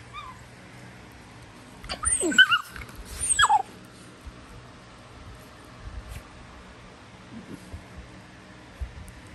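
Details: Prisca, a female Basenji, puts on a tough act with wild-dog-style squealing that is all for show: two bursts of high, harmonic squeals sweeping and falling in pitch in quick succession, then quiet background.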